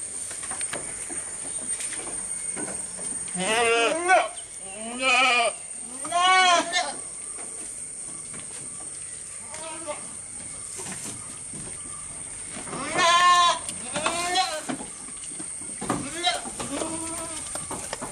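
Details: Close-up of a goat eating, with a series of short, nasal bleats: three in quick succession early on, another after a long quiet spell, then two softer ones. Faint clicks and rustles fill the gaps.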